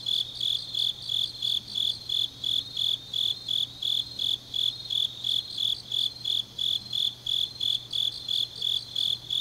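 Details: On a deep autumn night in Changnyeong, South Korea, grass insects sing in rhythmic, piercing high chirps at about three per second, with a second overlapping chirping voice and a faint steady low hum beneath.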